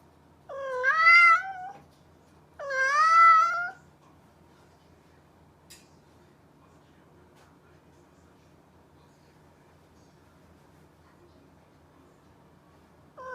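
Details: Domestic cat gives two drawn-out meows about two seconds apart, each a rich harmonic wail rising then falling, followed by ten seconds of near silence with a faint low hum and a soft start of another call at the end.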